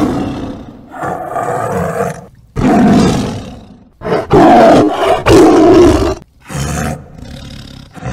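A tiger gives five or six deep, rasping roars in quick succession, each lasting about a second, with brief pauses between them.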